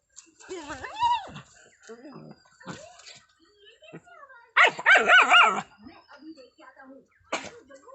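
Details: Playing German Shepherd puppies in Assam, India: whiny yelps and high yips, then a dense second-long cluster of loud overlapping barks, followed by a single sharp bark, with soft voices between.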